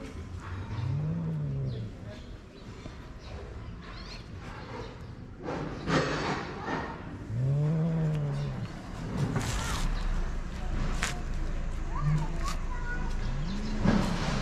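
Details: Cat in Morocco, a female keeping away from a male that wants to mate; low, drawn-out moaning yowls rising and falling, repeated several times over steady background noise and scattered clicks.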